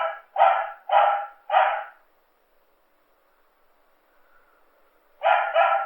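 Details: Pet dog giving four fast, loud barks in a row, falling silent for about three seconds, then adding two more sharp barks close together.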